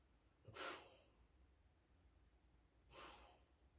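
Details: Sleeping female Alaskan Malamute in bed, two breathy, hissing snorts spaced roughly two and a half seconds apart, with near silence between them in a small quiet room.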